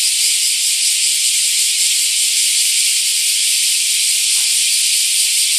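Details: In Nagasaki's Daitokuji Park, Japan, during summer 2019, a mass of bear cicadas in a camphor tree produces a continuous, even, hissing buzz, loud enough to be called noisy, with a brief low thump near the end.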